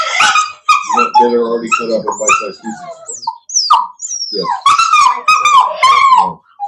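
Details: Cane Corso of a breeding pack west of Nashville, Tennessee, producing loud, nearly continuous high whimpers and whines, some sliding upward, with a few short yelps and little background talk.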